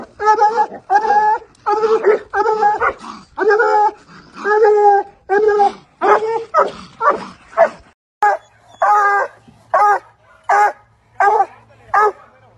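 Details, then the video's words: A Treeing Walker Coonhound kept as a pet barks steadily: a fast run of full, ringing bays, about eighty a minute, then spaced, sharper barks, in a quiet indoor setting. "Treeing Walker Coonhound Barking"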